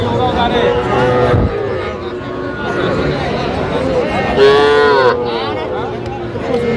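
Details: Young bull and heifer calves at a Jamalpur cattle market in Bangladesh on 25 October 2025. A short, clear moo cuts through steady haggling voices and market chatter.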